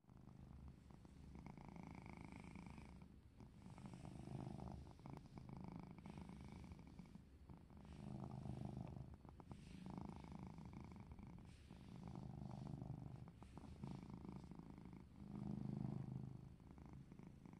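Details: Domestic cat purring steadily during play, a low rumbling drone that swells and fades in breathing cycles roughly every two seconds, with faint clicks and rustling indoors.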